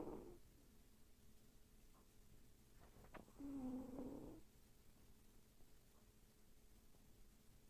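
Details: Sleeping pet cat, Miss Potter, twitching and vocal in her sleep: one soft, low, murmuring moan of about a second over a quiet indoor background, with faint clicks before it.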